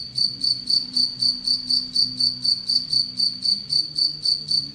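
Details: Anadrymadusa retowskii kept in captivity while feeding on an Egyptian locust; a continuous train of sharp, high-pitched chirping pulses, evenly spaced at roughly four per second, with a soft low background rumble.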